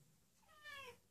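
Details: Hungry female house cat leading her owner toward her favorite food; one brief, quiet, slightly falling meow.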